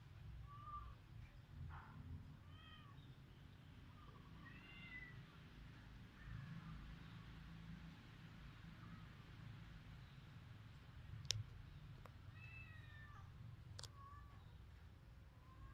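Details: Cats in a Cambodian village, recorded on a mobile phone, make several short, faint mews and chirps scattered across the recording over steady low background rumble, with a few sharp clicks.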